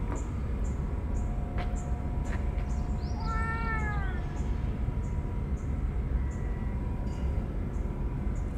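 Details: Stray ear-tipped cats being fed on a scorching hot day, crying out while rubbing against each other in joy; one drawn-out meow lasting about a second, falling at the end, over a steady low rumble and a high insect drone.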